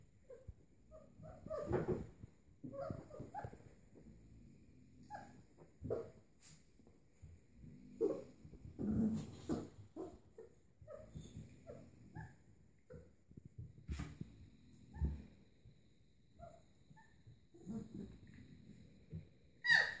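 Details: Kuvasz-Golden Retriever cross puppies at play, three weeks old: scattered short whimpers, squeaks and yips, some low grumbling growls underneath, uneven spacing with brief quiet gaps.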